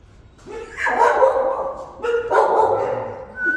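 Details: Jindo puppies with black, fawn, grey and black-and-tan coats, now active and lively. Two rough, harmonic barks in quick succession, each drawn out for about a second.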